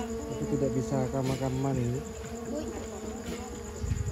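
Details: Honey bees at a nest being robbed of honey by an inexperienced harvester, a strong buzzy hum for the first two seconds with pitch wobbling as bees pass close, then fading to a softer drone.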